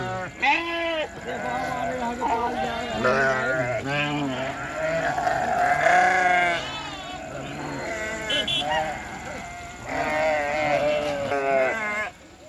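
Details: Sheep and lambs bleating in chorus: wavering, quavering bleats overlap from several animals, some low and hoarse, others higher, in bursts with brief pauses between them.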